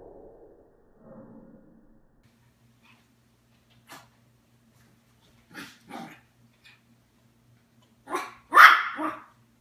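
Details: Daisy, a grown Yorkshire Terrier, reacts to Puppy Bowl on TV indoors with brief soft sounds, then a pair of quick sharp barks and a louder closing double bark, with a faint electrical hum beneath.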